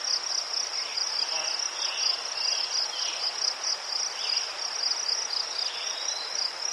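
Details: Ukrainian crickets among chrysanthemums keep up a bright, rapidly pulsing high trill without pause, with scattered short lower chirps from other insects in the background.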